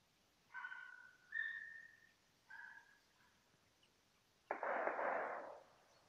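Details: German Hunting Terrier named Bagira, recorded in 2015 while fox hunting outdoors: three tonal, drawn-out, high yelps with rich overtones, spaced about a second apart, then a harsh, noisy burst lasting about a second.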